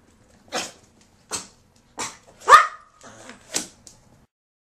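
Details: Toy Poodles rushing down a neighbour's entry stairs to greet their owner returning home, September 2010; six short sharp barks spaced about a second apart, one louder bark midway, a quiet room between them.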